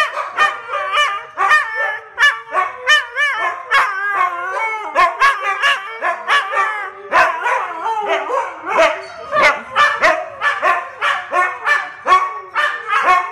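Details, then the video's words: Kodi, a dog learning to howl, joins a barking and howling competition with another dog, Kiana; wavering high howls mix with rapid repeated yips and barks throughout. "Kodi learning to howl"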